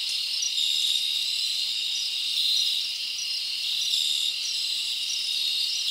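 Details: Night-time cricket chorus in a summer forest: continuous high, shimmering trilling with occasional brief sharper chirps rising above the steady wash of sound.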